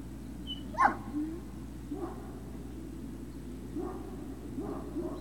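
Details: Great Dane puppies at Puppy Hill, recorded 03-06-2019 in the late afternoon, around 16:24: one sharp bark near the start, then a few faint soft whimpers over a steady low electrical hum.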